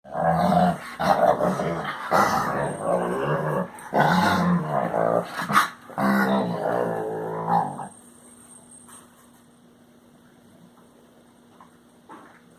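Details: Pet Basset Hound making its noises: a run of low, throaty growl-like grumbles and moaning whines for about eight seconds, broken by short pauses, then near silence with a faint steady hum.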